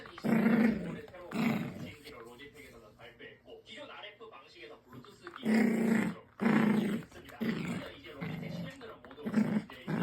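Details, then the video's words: Growling from a puppy during a game of tug, an odd sound for it: gravelly rumbling bursts, a pair early on, a quieter stretch, then several more close together near the end. "터그놀이할때 이상한 소리를 내는데.."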